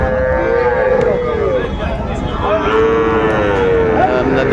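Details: Sahiwal bull calves at a market at the end of trading on 27 December 2024, two long, steady moos, the second more level and sustained, with crowd noise and voices underneath.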